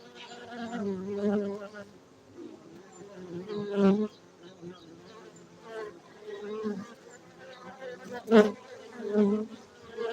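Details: Beekeeping site in the Gayo region of Aceh, Indonesia, where honey bees drone in uneven waves, low hums rising and falling, punctuated by a couple of brief sharp knocks.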